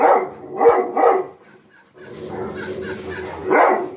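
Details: A dog barking at himself: three short barks in quick succession, a pause with a faint rustling hiss, then one more bark at the end.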